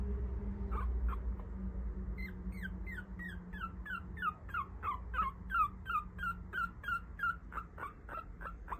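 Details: Papillon puppy, a male among four littermates raised with its mother, whining in a long run of quick falling whimpers, several each second, steady at first and growing louder and more insistent, over a low background hum.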